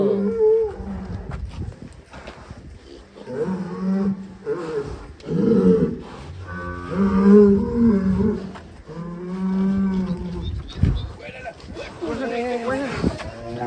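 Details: Enraged cow escaping from its pen gives a run of deep, hoarse moos, each a second or two long with short gaps. Some rise and fall in pitch, and a few sharp knocks sound in between.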